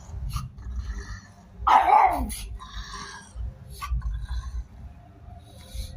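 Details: Single strong, harsh dog bark about two seconds in, sliding downward in pitch, set against a low background rumble and faint voices.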